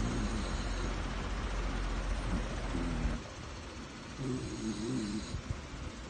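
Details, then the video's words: Sleeping dog snoring: low, rattling, vibrating snore bursts at the start, near three seconds and again around four to five seconds, over a steady low background rumble. "SNORING DOG"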